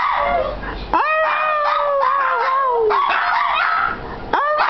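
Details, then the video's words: Pair of Shih Tzu dogs 'singing' at home: drawn-out wavering howls that swoop up sharply at onset then sag gradually in pitch, one voice layered over another. "Shih Tzu singing sensation"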